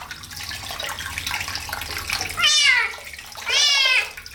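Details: Kitten washed for the first time, giving two loud, high meows that slide downward, about a second apart, after a stretch of running and splashing water.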